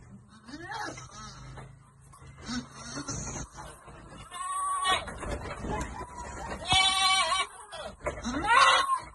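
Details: Goats on a goat farm while being given vitamins, bleating in several wavering, nasal cries spread through the second half, mixed with people talking nearby.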